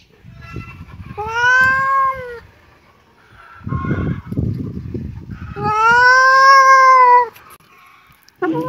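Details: Kitten meowing twice: drawn-out, clear, slightly arching meows of about a second each, separated by low rustling and handling noise, with a short sound cut off at the end.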